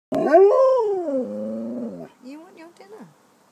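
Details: Pet dog vocalising while asking for his dinner; a loud, drawn-out, howl-like whine that rises then slides down over about two seconds, followed by shorter wavering yips, with a person talking right after.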